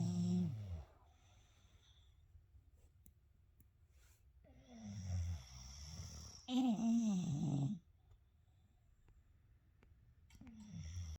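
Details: Two English Bulldog brothers sleep and snore loudly together, deep rumbling breaths repeating every few seconds; one later had throat surgery that made his breathing and snoring quieter.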